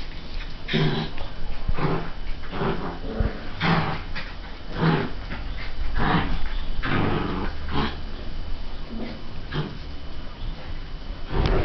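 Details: Border Collie puppy, 47 days old, heard alongside a 5½-month-old dog: rough, noisy growling bursts repeated every second or so, low and gritty, with short pauses between.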